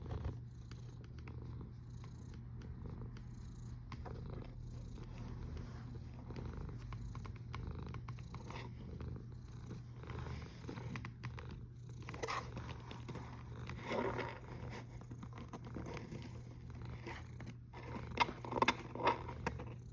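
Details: Cat snoring on 1 August 2021 at 13:27: a steady low rumble with soft breathy swells that rise and fall, plus faint higher rustles near the end.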